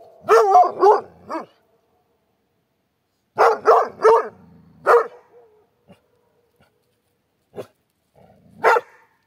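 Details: Dog barking from a compilation of animal sounds met in Turkey: clusters of loud, sharp barks, three or four in quick succession, then pauses, then single barks, with quiet gaps between.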